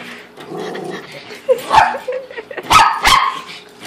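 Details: Excited dog standing up on two legs at a fish tank; a run of whiny yips ending in two sharp, loud bark-like bursts close together.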